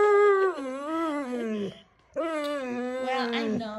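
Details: Indoors, Wulf the Siberian Husky complains about last night's loud Fourth of July fireworks. Two drawn-out, talkative howls with strong overtones each waver and slide downward. A brief silence separates them.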